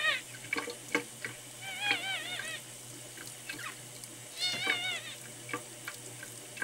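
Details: Ten-day-old male red tabby and white kitten named Miel, rescued at one day old, sick, dehydrated and refusing milk; short wavering high mews come in bursts over a steady hiss-like background with scattered clicks.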